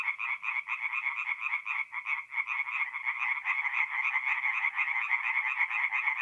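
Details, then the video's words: Tree frogs singing at night in a forest pond, north-east Italy, mid-April; quick harsh pulsed croaks from overlapping callers, with a brief lull near the two-second mark before the rattling resumes. "relaxing forest pond by night with singing tree frogs"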